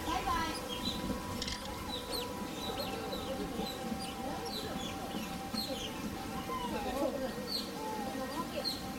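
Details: Asian small-clawed otters at a zoo's otter sanctuary on 8 May 2023 give many short, high squeaky chirps, some rising, in a busy overlapping chorus, with people talking in the background.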